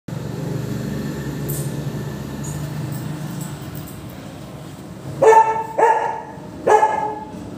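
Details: Labrador-Pomeranian mix dog giving three short barks near the end, about half a second to a second apart, after a stretch of steady low engine-like hum.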